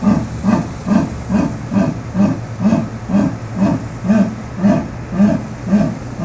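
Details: Natural jaguar voice, heard as a continuous rhythmic run of low, hoarse grunts, roughly two per second and evenly spaced, over a faint background hum.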